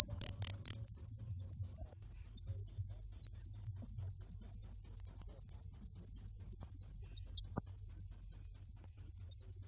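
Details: High, piercing cricket chirps repeat steadily, about four each second, pausing once briefly near two seconds; a faint click later and low hum beneath.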